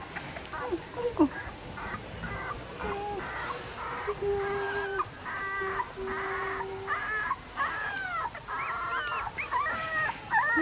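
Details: Red male Pembroke Welsh Corgi puppy named Kimidori, filmed 10 September 2014 at the Balmy Winds corgi kennel, gives a run of short high whimpering squeals, some rising and falling, repeated through the clip over low room noise.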